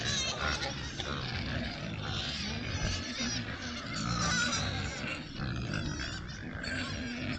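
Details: A sounder of Oxford Sandy and Black pigs, a rare British breed, in woodland on a trail camera, rooting around: dense overlapping high squeaks with low grunting and rustling underneath.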